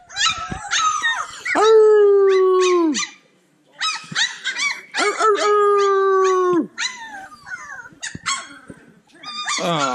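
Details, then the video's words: Several playful Cane Corso puppies, growing and developing personalities, let out long drawn whining howls that slide slightly downward, two sustained bouts of about a second each, broken by short high yips and squeaks. "Bunch of Yipping Puppies!"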